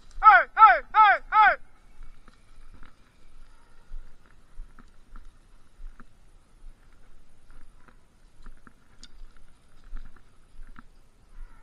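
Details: Bluetick coonhounds baying after jumping game: four quick, loud, harmonic-rich bawling notes in the opening second and a half, each falling in pitch, followed by near silence with faint scattered clicks.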